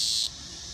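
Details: A single dog-day cicada (Neotibicen canicularis), landed on a deck umbrella in Lawrence, Kansas, on an August 2015 afternoon, gives its mating call: a loud, high, harsh buzz that cuts off abruptly.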